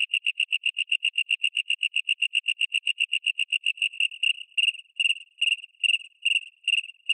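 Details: A synthesized cricket chirp built from three synth oscillators (a raspy body, a pure-tone ring and a wing sound), not a real insect, gives clear, high, pure-toned chirps, quick and steady at first, then in slower grouped bursts.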